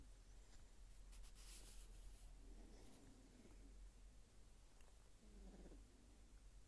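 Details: A Sphynx kitten snores in its sleep, each quiet, airy breath rising and fading in turn against a constant low background hum, broken by light rustling.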